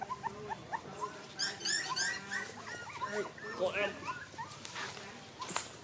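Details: A litter of five puppies, one white, whines in dense, overlapping bursts. Some cries are harmonic and rise and fall; others are sharper, higher squeals. Soft background rustle runs throughout.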